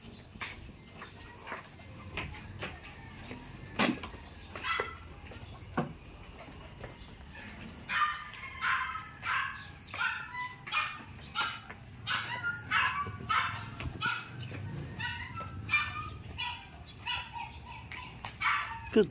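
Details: Jack Russell Terriers Jack and Chickie at play time; after a quieter opening with scattered soft sounds, a lively run of sharp, high yapping barks begins midway and repeats roughly twice a second until the end.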